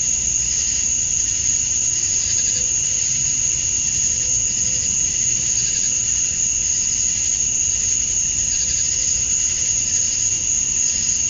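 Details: Summer dusk chorus of male cicadas calling for females in Georgia, USA: a continuous piercing hum overlaid with soft pulsing swells that return every couple of seconds, plus a faint lower whine.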